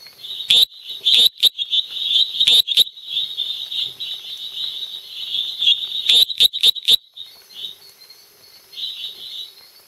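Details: A small male Dendropsophus minutus tree frog calls at night in Los Lagos, departamento Beni, Bolivia. A high, rasping buzz keeps going, broken by sharp clicking notes in quick clusters of three or four. A constant high drone hums underneath.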